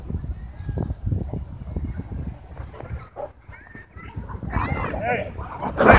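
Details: Dogs fighting at a dog park, tension building among several dogs kept on leash inside the park; low rumbling growls pulse through the first seconds, then sharper, higher yelping barks burst out near the end over human voices.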